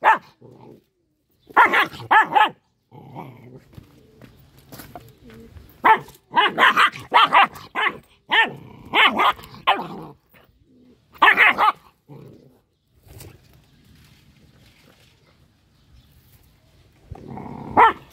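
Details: A little dog, angry, letting out a run of sharp, harsh barks and screams in quick bursts, some clustered in rapid volleys, with short quiet gaps and a low hum between outbursts.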